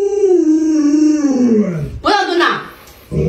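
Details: A pet Alaskan Malamute named Luoluo howls at its owner, who is sick and cannot get out of bed. A long, drawn-out howl descends gradually over two seconds and is followed by a shorter wavering, voice-like sound.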